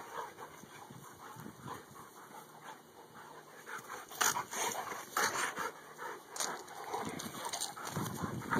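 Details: Two male dogs, Dakotah and Kobi, best friends; rough panting punctuated by loud sharp bursts around the middle, possibly short yips or barks, uneven in spacing.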